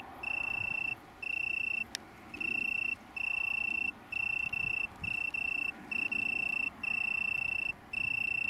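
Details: Italian tree cricket from a small colony near Brighton, UK, on 21 September 2019: a pure, high, steady trilling tone in bursts of most of a second, broken by brief gaps. A single sharp click near the start. Faint low background rumble.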